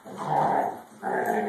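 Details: Basset hound and young borzoi play-fighting indoors after dinner: two short, rough, rumbling growls about a second apart, with a person exclaiming nearby.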